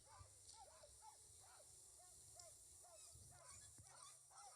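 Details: Sled dogs at the start chute of the Can-Am Crown International Sled Dog Race in Maine give a chorus of high, arching, overlapping yelps and barks, eager to run, on a hot day, with a faint crowd murmur beneath.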